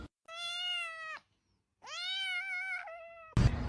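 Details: Two long, clear, tonal meows from a cat, each about a second, the second slightly rising then gently falling, followed by a sudden rustling noise indoors.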